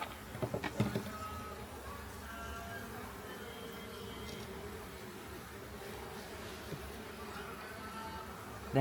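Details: Honey bee colony from a large clay pot hive beside a house in Homagama, Sri Lanka, being relocated; a steady low droning hum of many bees runs throughout, with brief clattering knocks in the first second.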